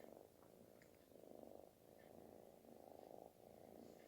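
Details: Kitten purring loudly, like snoring, while seeking affection; a deep continuous rumble swelling and fading with each breath, roughly every second, with no other clear sounds.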